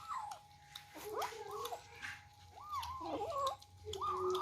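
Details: Kittens at their first feed, fighting over rice mixed with fish: short, kinked meows from several animals, partly overlapping, mixed with chewing clicks and soft patter in a small indoor space.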